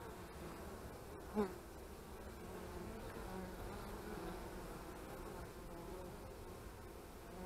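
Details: Honey bees at their hives on 25 March 2015: a continuous low droning hum, banded around 200 and 400, with one brief louder buzz of a passing bee early on against the steady background swarm.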